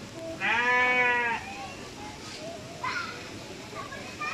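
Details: Goat bleating while pooping: a single long, quavering, nasal bleat of about one second near the start, followed by quieter voices and a couple of faint shorter calls.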